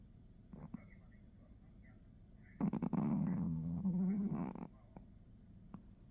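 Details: Pomeranian puppy snoring while asleep during a nap: a low, rough, droning snore lasting about two seconds with a buzzing rattle, between quiet breaths and faint clicks.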